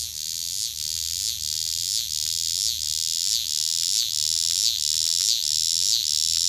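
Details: Cicada recorded up close on 22 August 2016: a loud, continuous high hissing buzz that swells in steady pulses about every two-thirds of a second, with a faint low hum underneath.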